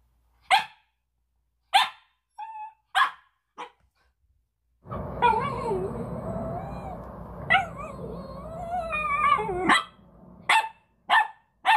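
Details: Puppy barking at its own reflection on first seeing a mirror, seemingly startled and annoyed; sharp single barks spaced about a second apart, a longer stretch of wavering whiny yelps over broad noise, then more quick barks.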